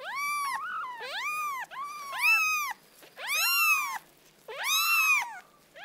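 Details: Several kittens calling together, high arched mews overlapping and running into one another, some longer and wavering, with short gaps, no other sounds.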